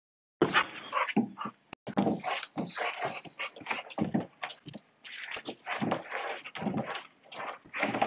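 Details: Saint Bernard puppy playing, giving irregular short noisy bursts, growly huffs and whimper-like sounds in quick uneven runs with brief pauses over about eight seconds.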